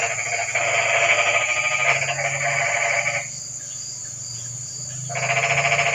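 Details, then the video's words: Frogs calling in the rain at night, livening up a quiet evening: a loud, rapidly pulsed, buzzy croak lasting about three seconds, a pause, then another burst starting. A low steady hum runs underneath. "Kodok & Suara kodok hujan meramaikan suasana sepi malam ini"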